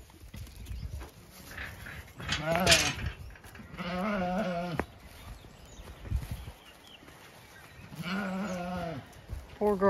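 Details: Zwartbles ewe on a County Kilkenny farm in Ireland, still looking for her dead lamb as the flock heads out for late afternoon grazing; a man's voice, then two drawn-out quavering bleats several seconds apart.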